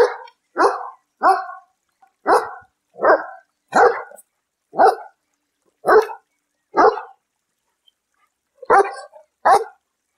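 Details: A domestic dog, possibly a beagle, German shepherd, labrador, French bulldog or golden retriever, gives a run of loud, clipped barks about a second apart, then after a pause a final quick pair of barks.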